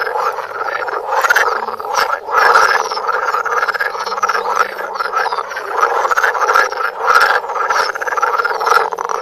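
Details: Frogs filmed at extreme close range with a Samsung Galaxy Note, croaking together: loud, buzzy, rattling calls pile up continuously, rising in brief louder surges roughly every couple of seconds.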